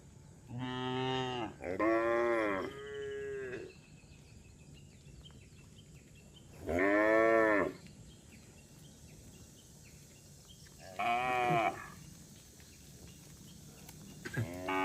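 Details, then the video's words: A herd of cattle roaming the road, lowing repeatedly: a run of three wavering moos at the start, then single moos about every four seconds, each under a second long, over quiet background. "suara sapi bunyi"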